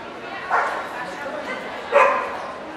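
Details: Welsh Corgi at a dog show in Ostrava on 14 April 2012, where Cardigan and Pembroke corgis were shown: two short, sharp barks about a second and a half apart over a steady murmur of crowd chatter.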